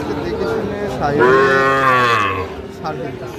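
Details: At a Tangail cattle market on 9 May 2025, a Sahiwal bull gives one loud, sustained moo of about a second and a half, with voices and market hubbub in the background.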